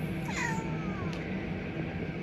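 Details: Pet domestic cat said to cry with a yelping, squealing voice; one clear meow that jumps up and then glides down in a long falling tail, over constant low background music and hum.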